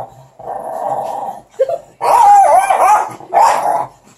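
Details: Puppies, including Russ, tussling over a stick, giving sustained rumbling growls in three bursts, the middle one louder and wavering, separated by short pauses.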